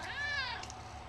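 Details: Eleven-year-old indoor tomcat, described as talkative and a bit overweight, lets out one drawn-out meow that rises and slowly falls, while the owner urges him to jump up and exercise.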